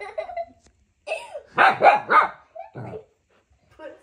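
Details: A husky puppy indoors, curious but unsure about a remote control car, giving a run of three quick, high, yappy barks between soft whines, with a person talking nearby.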